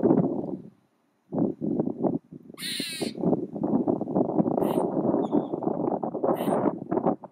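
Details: Male squirrel chattering with tail flicks for emphasis: harsh low pulsed bursts, a brief pause, then a strong wavering high screech followed by renewed steady chatter and a few thin squeaks.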